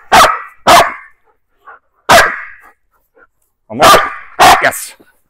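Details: A female German Shepherd gives loud, sharp barks in quick pairs on the command "intimidate", barking at a target and lunging forward during target-bark training.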